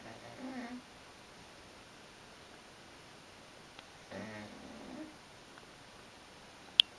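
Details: Sleeping dog Burley, a tired girl, breathes out two low buzzy snores roughly four seconds apart, quiet room between them, then a single sharp click at the end.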